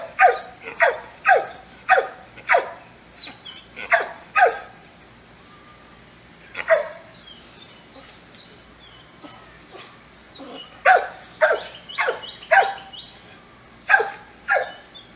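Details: Loud dog barks come in irregular runs, about a hundred a minute, with brief gaps and a few scattered single barks in between.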